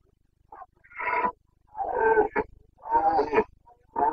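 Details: Boncănit, the rutting roar of a Carpathian stag, recorded in Bucovina in the breeding season on 29 September 2022: a run of four rough, throaty bellows, each about half a second long, roughly one per second, broken by short grunts.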